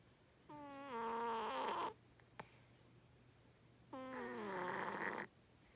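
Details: Loud snoring from a domestic cat asleep indoors: two long, harsh, buzzing breaths with a slightly falling tone, separated by a short silent gap with one faint click.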